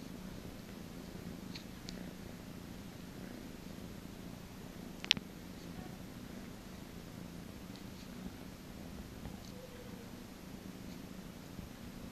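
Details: Cat from a cattery purring during a massage, a faint steady low purr throughout, with a sharp click near five seconds and a few small handling noises.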